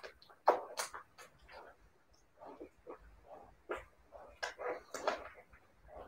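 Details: Siberian Husky puppies making short, high yips and thin whines in quick succession, with a few sharper clicks between calls.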